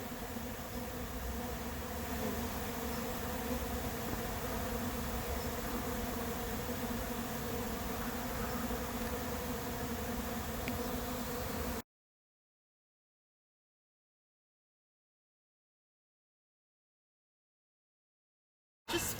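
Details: Late-season honey bee swarm moving into an empty, unprepared hive: a dense, steady droning buzz with a low hum underneath that lasts about twelve seconds, then cuts to silence before briefly returning at the very end.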